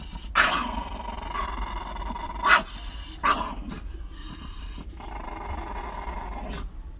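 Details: Dogs in a fight: rough growling runs through, broken by sudden harsh barks, three loud bursts in the first half, over a constant background drone.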